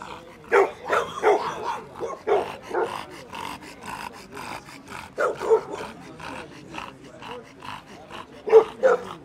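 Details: Rival Bullmastiffs nearly come to blows over attention, letting out a long stretch of irregular barks, yelps and rough growls, with people's voices mixed in.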